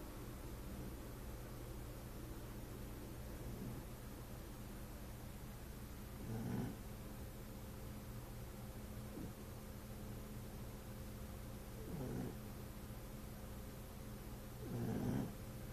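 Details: Lolo, a French Bulldog, snoring: soft, low rumbling snorts that swell at intervals of roughly five to six seconds over a steady low electrical hum, with little else audible.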